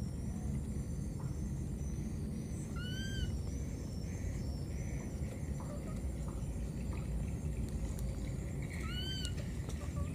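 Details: Lost baby monkey crying out for its mother with two arched, tonal calls about six seconds apart, each rising then dropping. A constant low rumble and faint high chirping run underneath.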